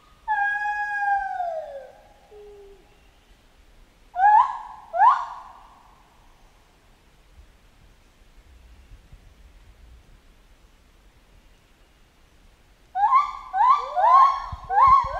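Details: Chimpanzee in a jungle: a long descending wail opens, then two sharp rising screams, a quiet gap, and a final fast burst of overlapping, harmonic rising hoots.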